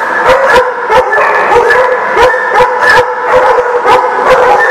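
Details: Many dogs at a dog lot, recorded 15 February 2019, barking and howling together; dense, overlapping yips and baying voices form a continuous loud chorus with sharp barks popping out about once a second.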